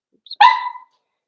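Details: Four-week-old Cavalier King Charles Spaniel puppy in an indoor puppy pen, being socialized with other dogs: one short, tonal, slightly falling yelp with rich harmonics, preceded by a faint high squeak, then quiet.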